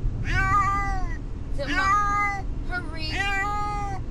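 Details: Brutus the Beefcake, a pet cat travelling to the vet and distressed, giving three drawn-out harmonic meows that bend downward, over a steady low rumble of the moving car.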